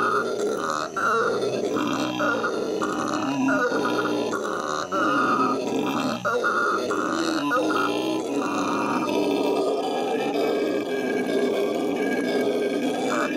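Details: Captive howler monkeys at the L.A. Zoo howl in May 2014, a long unbroken bellowing chorus of hoarse, pulsing roars with rasping harmonics and only momentary pauses.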